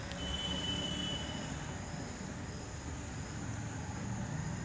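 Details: Continuous roar of a moving train with a brief thin wheel squeal near the start, and no animal sound.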